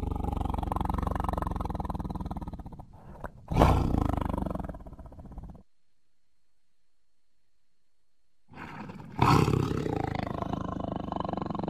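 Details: Tiger roaring: deep, harmonic rumbling growls with a loud roaring burst near four seconds, then three seconds of silence before a second powerful roar that trails into low rumbling.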